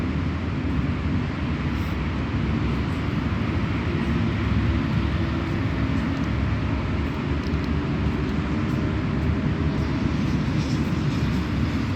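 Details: A steady, deep vehicle rumble fills the recording with no animal voice.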